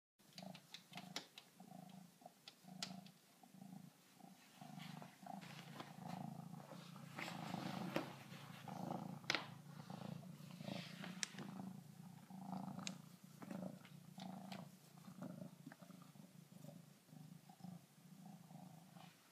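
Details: Kittens purring near a glass door after befriending a backyard raccoon; a soft, low, rumbling purr pulses steadily beneath scattered rustles and clicks.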